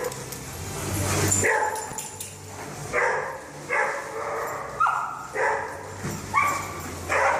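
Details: Dog giving short yelping whines, roughly eight quick rising-then-falling yips spaced under a second apart, over a steady low hum and background noise.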